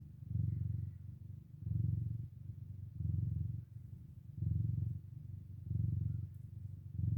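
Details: Domestic cat mother with her four kittens waking from a nap: a steady low purr swelling and fading in slow, even cycles of roughly one and a half seconds, with nothing else clearly heard.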